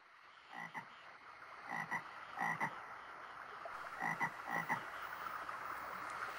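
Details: Toad, just awake from its long winter sleep and journeying back to its birthplace, gives short rasping croaks in clusters of two or three, about two a second, over a steady hiss.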